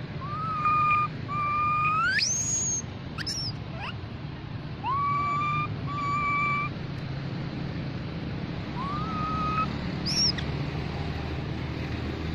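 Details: Baby mona monkey calling to its group: clear whistle-like tonal calls, one long note sweeping steeply upward at its end, plus shorter level notes, in four bouts over twelve seconds above a steady low rumble of background noise.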